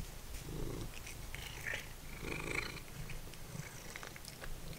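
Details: Domestic cat, once feral, purring as it munches dried minnows; a continuous low, throbbing purr dominates, with soft chewing noises and a few faint higher squeaks on top.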